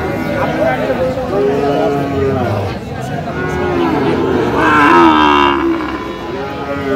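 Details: Sahiwal bull calf at a cattle market in Sirajganj, Bangladesh, 5 August 2025: several drawn-out, harmonic lowing calls rise and fall, overlapping one another, over a steady crowd murmur and voices.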